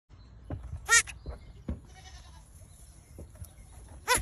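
A young goat gives short, high, wavering bleats, one near the start and another at the end.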